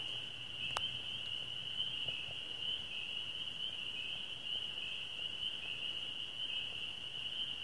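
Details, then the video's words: Spring peepers (swamp frogs) chorus from a swamp around nine o'clock on a moonlit May evening, their high, shrill peeps merging into one steady, ringing drone. "What do Spring Peepers Sound Like? (Swamp Frogs) Signs of Spring!"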